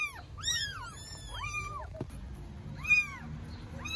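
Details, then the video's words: Newborn stray kittens in Istanbul call loudly for their mother because they are hungry, giving clusters of high, arching mews with a few longer drawn-out cries, a short pause near the middle, then more bright mews. "Newborn kittens meow loudly for mother cat because they are hungry"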